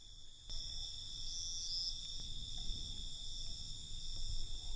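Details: Crickets at night, a steady, unbroken high-pitched trill layered in several shrill bands, with a low rumbling background noise that rises after the first half second.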